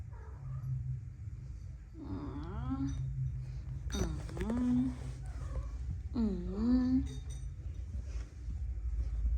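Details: Persian cat, from a line of show-quality kittens, giving three drawn-out meows about two seconds apart, each rising then falling in pitch, over a low steady hum with people talking in Bengali nearby.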